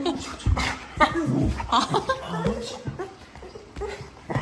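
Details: A happy dog singing, giving wavering, whiny vocal sounds in short bursts with sliding pitch, mixed with a person's voice and laughter in a small room.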